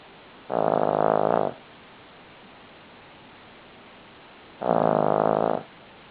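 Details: Sleeping Cavalier King Charles Spaniel named Buddy gives two harsh, droning snores, each about a second long and roughly four seconds apart, with near silence between them.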